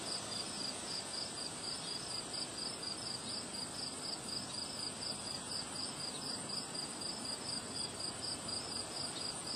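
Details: Crickets chirping through a windy day, a continuous string of short high pulses repeating about twice a second while broadband wind rushes underneath and a steady high whine persists.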